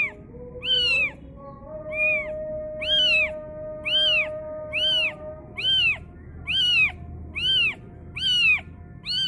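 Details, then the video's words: Kitten screaming on hearing the call to prayer: high, piercing, arching meows repeated roughly once a second, each rising then falling, over a steady, long-held sung tone in the background. "anak kucing menjerit mendengar suara adzan"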